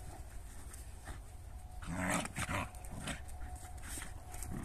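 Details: Dog from a recording featuring a Jagdterrier and a shepherd dog, giving a short, rough bark-like burst around the middle. Low rumbling background noise runs throughout.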